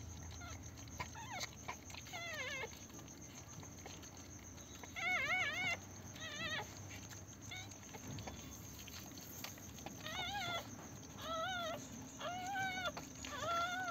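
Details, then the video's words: Newborn Pomeranian puppies on their first day after a home delivery, giving several short wavering high whimpers and squeaks in bursts, with rustling and a steady high electrical hum behind. "pomerian puppies first day"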